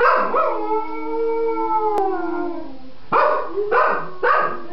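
A Cocker Spaniel gives a long, tuneful howl that slowly falls, then breaks into short rising yelps.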